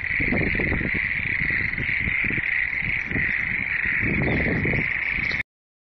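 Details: Many frogs call together in a thick, continuous trilling chorus with low rumbling bursts underneath; the sound cuts off abruptly near the end.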